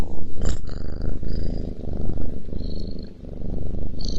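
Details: Cat purring as it eats, a low continuous throbbing rumble with a brief sharp tap early on and faint high tones drifting in the background.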